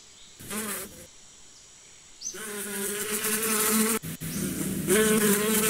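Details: Brief bee buzz near the start, then a quiet moment before a loud, sustained droning hum with a wavering pitch that carries to the end, briefly broken once.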